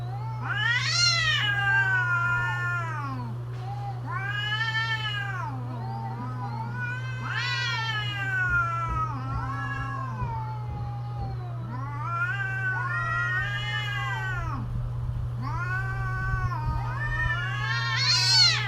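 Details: During mating season, cats keep up a long duet of wailing caterwauls, shrill rising-and-falling cries alternating with deeper groaning moans, building to a piercing final howl, with a low steady hum beneath.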